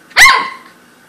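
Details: Corgi letting out one sharp, bright bark that rises slightly and then fades away over about half a second.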